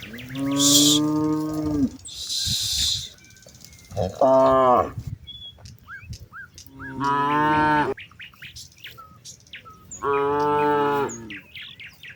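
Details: Cattle from a herd of hundreds grazing in wide rice fields, one calling companions home in the late afternoon as dark approaches; several loud harmonic moos of one to two seconds, with bird chirps and whistles between them.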